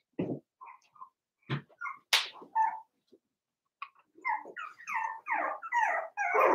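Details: Cavalier King Charles Spaniel puppies of Daisy's litter, four weeks old, kept in an indoor pen. A few soft knocks give way to a rapid run of high, falling whimpers and thin whines that grow louder and more continuous.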